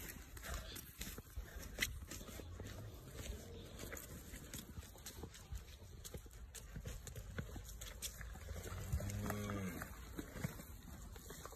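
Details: A Wagyu calf gives one short, low, harmonic moo near the end, after about nine seconds of rustling, handling noise and steady background hum.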